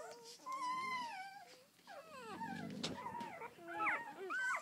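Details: Red-rust Doberman Pinscher puppies from a litter of eleven, first day out: a loud rising-and-falling whine, then a short grunting squeal, followed by quick yelping whimpers from more than one pup.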